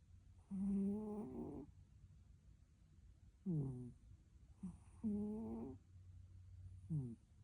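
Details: Snoring sleeping cat: a long, humming snore that wavers near its end, followed by several short, downward-sliding snorts and a second steady drone, spread irregularly over several seconds in a quiet room.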